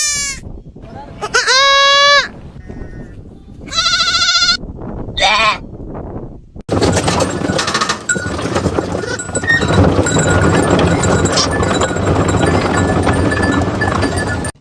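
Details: Goats screaming like humans: about six seconds of loud, wavering, strongly harmonic cries in several bursts, some rising and falling, then giving way to dense, continuous broadband noise with music.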